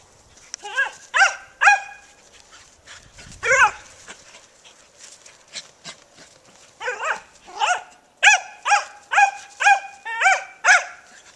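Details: Dogs playing a game of tag at Creature Comfort Inn, giving loud harmonic barks and yelps in bursts, with a lull midway then a run of about eight quick barks near the end; soft scuffling between calls.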